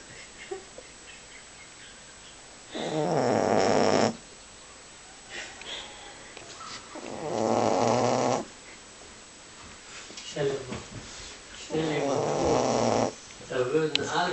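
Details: A male Boxer dog asleep and snoring rather loudly: three long rasping snores, each lasting about one to one and a half seconds, separated by quiet pauses of several seconds, with faint breathing between them.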